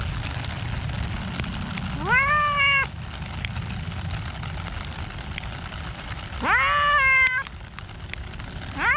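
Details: Cats in a park on a rainy day: two drawn-out meows, each rising then falling slightly with clear harmonics, about four seconds apart, over steady rain hiss and low rumble.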